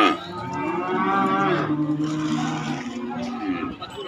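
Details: Calves and young bulls at a cattle market: one long, harmonically rich moo falling in pitch, followed by lower, fading lowing with faint background noise.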